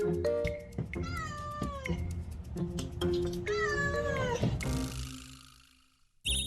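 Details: A mother cat, a cafe mascot raising kittens on the cafe roof, gives clear, drawn-out meows, the sound she makes to ask people for something, over background music.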